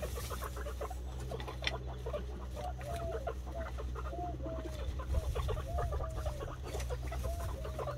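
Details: Guinea pigs meeting for the first time, a boar and a white sow being introduced: rapid soft chuttering pulses throughout, with a run of short curved squeaky whistles repeated about every half second from around three seconds, over a steady low hum.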